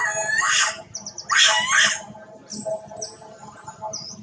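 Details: Poorly mother monkey Duchess cries loudly, searching for her daughter: two harsh, broad, harmonic cries come about a second apart, followed by thin, high bird chirps over a steady low hum.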